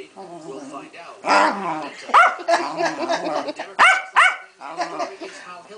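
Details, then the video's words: Pancake, a female Keeshond in a furious tantrum, mixes harmonic grumbling moans with a few sudden sharp barks, while a person talks to her throughout. "My beloved Keeshond Pancake has a hissy fit"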